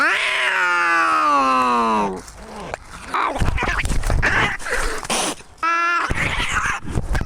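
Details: Tabby cat Maxwell gives a two-second, high, harmonic scream that slowly drops in pitch, then rough, noisy sounds, then another short, bright yowl near the end.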